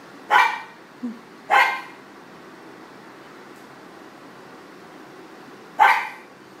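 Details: Pug named Leo in a Portland, Maine studio barking at a friend who works for the city as he goes by: three loud separate barks with a soft yip between, then a long pause before the last.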